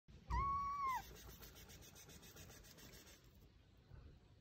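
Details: Cat giving a single clear meow, steady and slightly falling at the end, lasting under a second, followed by low background noise and faint rustling.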